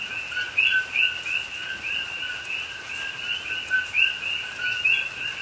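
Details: Coqui frogs calling through the rainy night in a rainforest at Pahoa, Hawaii, October 2021; a steady chorus of overlapping chirps with a few closer frogs giving bright rising whistled notes about once a second, soft hiss underneath.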